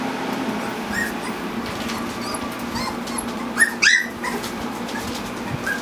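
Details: Four-week-old Standard Poodle puppies, part of a litter of eight black pups, playing together; a few short, high yelps and a whimper burst out near the middle, with faint squeaks scattered across a steady low hum.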